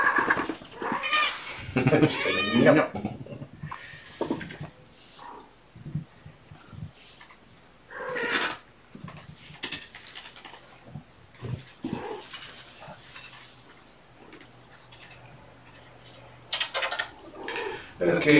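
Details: Kitten meows from Gamora's litter of five Infinity Kittens, born April 14th, during afternoon play time on 2018-05-29 while the mother gets lap time. Several high, rising-falling meows come in quick bursts, with a man talking between and over them.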